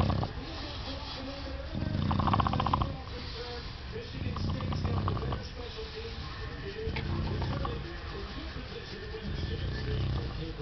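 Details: Male English Bulldog making happy, almost purr-like sounds while having his belly scratched: low rumbling snorts and grunting bursts in uneven runs, with brief snuffling between.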